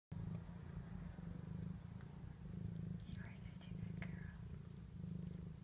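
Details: Lucy, a domestic cat, purrs steadily with her 2-day-old kittens as they mill around and nurse. The purr is a low, continuous, pulsing rumble, with a few faint high squeaks from the kittens midway through.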